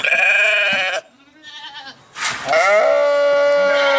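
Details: Sheep bleating twice, a long harmonic-rich bleat lasting about a second, a quiet gap, then a second wavering bleat that rises and holds steady to the end.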